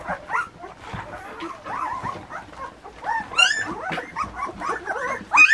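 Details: Puppies almost two weeks old whining and squeaking, several short rising and falling cries overlapping, with a few sharper high squeals near the end.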